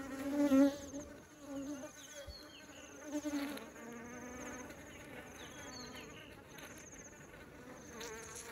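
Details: Honeybees bringing honey into the beehive, a thick droning buzz with a loud close fly-past in the first second and another near three seconds, the hum wavering gently in pitch throughout.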